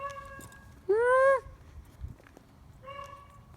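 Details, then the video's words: Dog 'talking' with a single strong upswept howl-like note lasting about half a second, then a softer level tone trailing after a pause, against quiet outdoor background. "Dogs love me they are talking to me"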